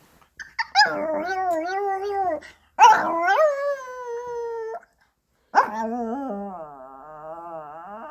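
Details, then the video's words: Pomeranian dog indoors howling wolf-like after its owner leaves home: three long, tonal, wavering howls, the second rising then holding steady, the last sliding into a quavering drawn-out tone, with brief silent gaps between. "Ponki crying like wolf if mom left home.엄마 집 나가면 퐁키 승냥이울음 터뜨려요"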